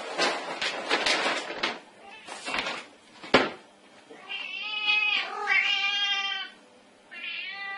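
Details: Cute kitten: bursts of loud rustling and scraping, then a long, wavering meow that swells and fades, followed by a shorter meow at the end.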